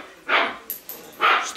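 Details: Dog giving two short, sharp barks about a second apart, each a harsh broadband burst, with quiet room background and faint human voices in Russian between them.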